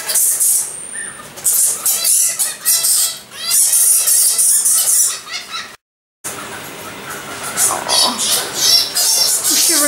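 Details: Egyptian fruit bats chattering continuously with shrill, scratchy squeaks and rapid trilled bursts, many calls overlapping, a brief silence midway before the noisy squealing resumes.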